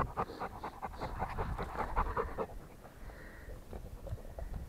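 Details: Rottweiler panting. Quick, breathy puffs are heard during the first half, then fade into low rumbling background noise with a faint higher hiss.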